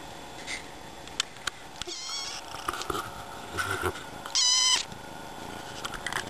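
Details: Sleepy young kitten, newest family addition that cannot wake up, gives several short, wavering meows and one sharp, high, strained meow near the end, between soft rustling and a person's coaxing voice.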